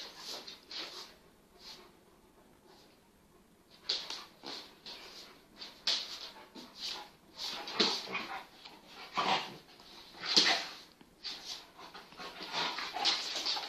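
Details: Kangals Venus and Tyson at play, an eight-month-old full Kangal puppy beside a cross Kangal half his size: quiet start, then irregular bursts of high whines and grumbling yips, loudest around the middle.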